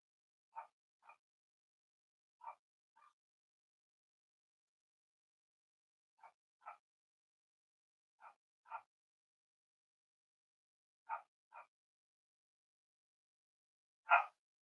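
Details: Playful Cavalier King Charles Spaniel puppies exploring with each other give quiet paired yips in short bursts separated by pauses of a few seconds, ending with one louder bark.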